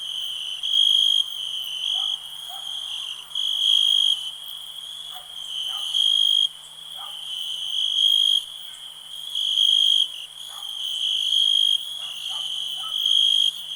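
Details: Steady shrill cricket trilling, pulsing in loud bursts roughly once a second over a constant ringing drone, with brief faint clicks and chirps from other insects lower down.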